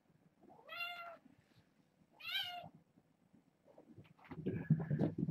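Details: Six young kittens, born August 29th, meow insistently in the morning, wanting to get over a fence to reach a person and explore. Two clear rising-falling meows about 1.5 seconds apart are followed by rustling and a louder thump.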